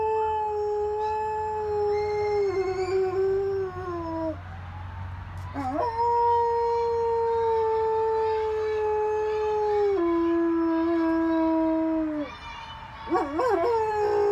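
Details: A German Shepherd howls at sirens in long, sustained tones that slowly sag in pitch.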